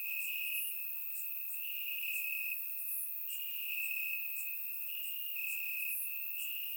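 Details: Warm summer night in Bulgaria with crickets chirping in the grass; a sustained high-pitched trill pauses briefly about every second or so, while scattered sharper chirps from other crickets rise above it, surround-microphone recording.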